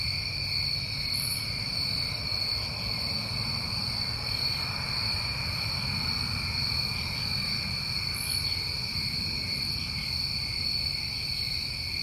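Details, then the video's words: New England crickets on a summer night, constant ringing trills in stacked high bands, a couple of brief sharper chirps, and a steady low rumble underneath. "Tinnitus Masking With Crickets"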